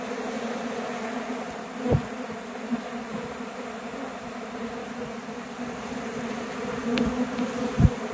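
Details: Honey bee swarm taking flight from a tree near a hive box after a bee removal, apparently attempting to abscond; a steady, dense droning hum with layered tones, broken by a few brief knocks and bumps.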